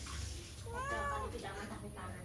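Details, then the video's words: Cat going past a house and meowing for food; one soft, arched meow rising then falling, partly masked by low rumbling background noise. "Kucing Lewat Pingir Rumah Mengeong minta makan"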